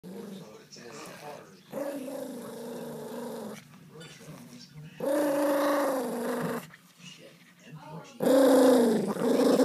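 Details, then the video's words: Family Pomeranian, indoors, angry after his treat was taken: three drawn-out, moaning growls with steady harmonic tones, each lasting about one and a half seconds and separated by quieter grumbling, the last one loudest. "Angry Pomeranian"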